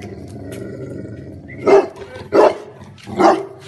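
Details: Bullmastiff dog giving three deep, rough barks spaced under a second apart, each a short broad burst, over a steady low background hum.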